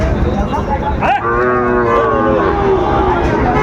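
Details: Sahiwal bull calves for sale at the Ambari cattle market in Dinajpur, Bangladesh, on a Friday market day in April 2025. A drawn-out, harmonic moo swells after a brief louder burst, with steady crowd murmur underneath.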